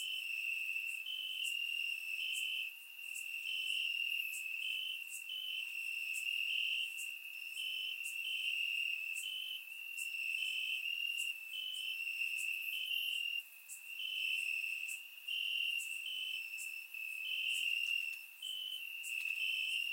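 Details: Warm summer night in Bulgaria, crickets chirping in the grass, recorded in surround: unbroken high-pitched trill with pulsing brighter notes roughly every half second, faint upper ticking, volume dipping briefly now and then.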